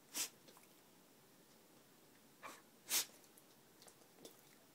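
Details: Indoor beagle, a dog that sneezes often, giving two sharp, hissing sneezes about three seconds apart, with a few fainter snuffly bursts between them in a quiet room.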